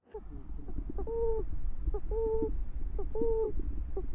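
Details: An Apennine yellow-bellied toad (Bombina pachypus), a species of wet places and small streams, gives soft, mellow hooting notes, each repeated about once a second, a call likened to a small wolf-like howl.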